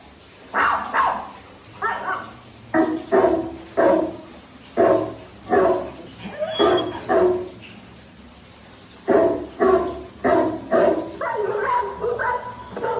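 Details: Pet Labrador Retriever called Dhoni barking in irregular bursts: gruff single and paired barks, a quiet pause in the middle, then a quicker run of barks toward the end.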